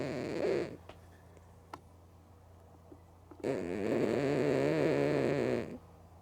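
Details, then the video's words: A female cat named Mookie, sleeping with open eyes, gives a brief snore and then a long, loud, rattling one of about two seconds after a quiet gap broken by a few faint clicks. "Cat Snoring Loud & Sleeping With Eyes Open"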